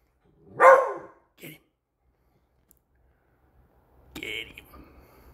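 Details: A pet beagle, excited by a new squeaky toy and barking on alert until it is put away, gives a single sharp, loud bark, then a softer yap, followed by the toy squeaking.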